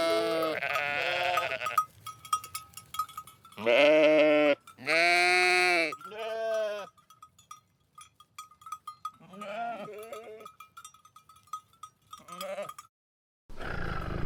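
Sheep bleating in wavering, nasal baa calls, some long and some short, with a steady faint ringing tone behind.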